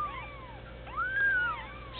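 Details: One-week-old bald Sphynx kitten giving one clear, drawn-out mew that arches up and down, with fainter mews from littermates behind it and a low steady hum.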